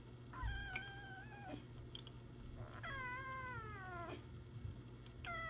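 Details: Jelly, a seven-month-old Ragdoll kitten, on her first day home from the hospital after treatment for feline peritonitis, meowing during an injection given at home. Two long, drawn-out, strongly harmonic meows sound about two seconds apart, and a third begins at the end, over a low steady indoor hum.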